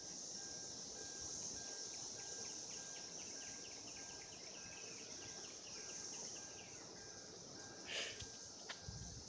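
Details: 2016 cicadas in a mating chorus: continuous high-pitched shrilling throughout, with faint rapid ticking notes in the background and a short loud knock near the end.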